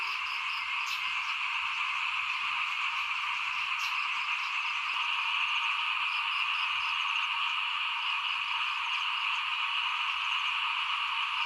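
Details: Small frogs call in front of a house during rice sowing in 2021, forming a dense, unbroken chorus: a steady shrill drone with bright bands at two pitches, a few faint clicks scattered through.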